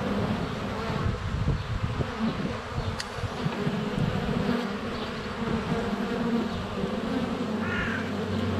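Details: Honey bees crowding the hive entrance in February sunshine, recorded up close on a GoPro; continuous low buzz of wingbeats, with a brief bird chirp near the end.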